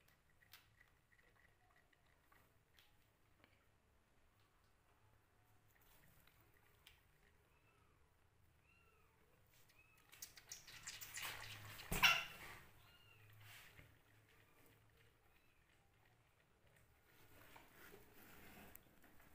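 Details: Hungry kittens fight over a bottle full of milk, giving a series of faint, short, high arched mews in the first half, then a loud burst of scuffling and handling noise, with quieter rustling afterwards.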